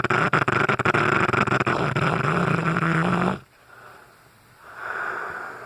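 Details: Sleeping Cane Corso Brutus snoring loudly, a steady rasping rumble with a low hum held for over three seconds, then it cuts off to near quiet before a softer breathy exhale follows.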